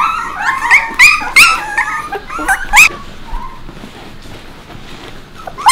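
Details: Puppies with Bek give sharp, rising yelps and squeals in a quick burst at the start, then fall quiet before one last loud yelp at the end.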